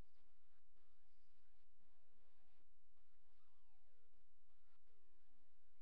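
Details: Young male coyote pups, newly able to walk and open their eyes, give a series of high, thin whimpers that slide downward in pitch, coming in quick overlapping bursts over a steady low hum.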